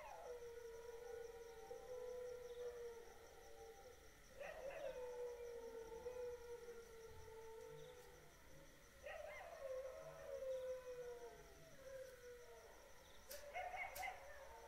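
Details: Dog at night giving long, drawn-out howls that start high and slide slowly downward, with about four separate wails spaced several seconds apart over a steady high-pitched background hum.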